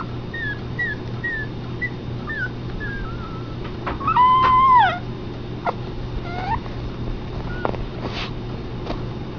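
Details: Young Pomeranian puppies, Keisha and Honeybear, offspring of Honey, whining: a run of thin falling squeaks, then one longer, louder drawn-out whine that dips at the end, followed by scattered softer whimpers over low background hum.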